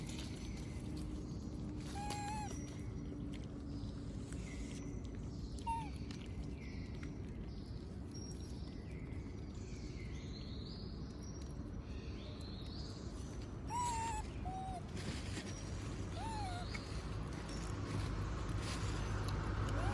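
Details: Food-begging cries of Moby, a monkey left out while others eat peanuts; brief, high, bending squeals appear in scattered pairs amid a steady low outdoor rumble and faint higher chirps.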